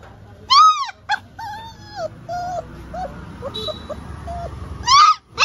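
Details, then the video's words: Labrador Retriever during a no-food challenge, whimpering in high, arching whines that rise and fall, loud at the start and again near the end, with softer broken whines between and low room noise beneath. "No food challenge Labrador"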